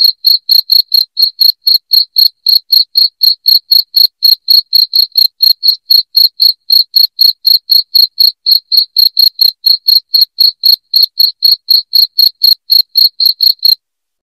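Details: Loud cricket sound meant to repel rats at home: an unbroken train of crisp, high-pitched chirps repeating about four times a second, very even, with nothing else audible before it stops near the end.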